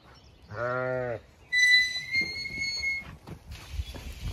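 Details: A Zwartbles ewe from a regenerative farm flock in County Kilkenny, Ireland, waiting to be moved to fresh pasture, gives one short, deep, steady bleat; a clear high whistled tone follows, then rustling field noise.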